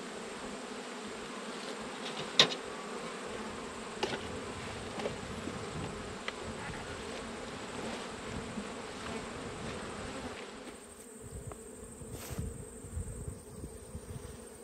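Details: Massed honey bees drone continuously as a beekeeper works through the top box of a hive in autumn; low steady hum with scattered sharp knocks and clicks of equipment, and the hum drops slightly near the end.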